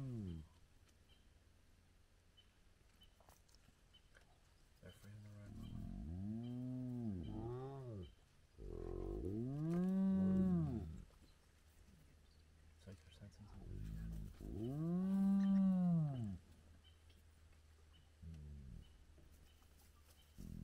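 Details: Spotted hyenas, a large clan at their den site with very active cubs, recorded at sunrise on a road. Several long, low, harmonic groaning calls rise and fall in arches, about four drawn-out calls spaced through the recording with quiet gaps between.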